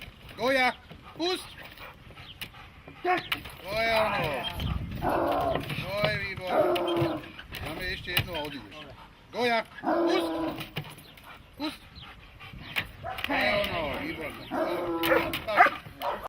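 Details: Dog during protection training, German Shepherd or Malinois, giving loud harmonic barks in bursts, some in quick runs of two or three, interleaved with a handler's repeated spoken commands throughout.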